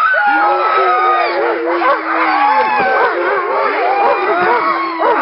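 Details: Nordiclight Alaskan Malamutes howling together around a little run in February 2012. One long, steady low howl holds nearly level for over two seconds, then returns, beneath a dense tangle of higher wavering howls and yips from many dogs.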